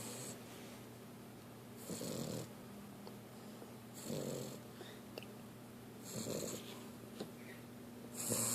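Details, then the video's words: Female puppy asleep on her back, mouth open showing little baby teeth, giving steady, hoarse snores, each a rough breathy rasp returning about every two seconds in a quiet room. "snoring puppy"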